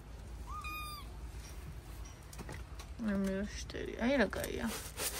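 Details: House cat on the morning of October 21 giving one short, steady, high meow, followed by a person's voice speaking over the animal.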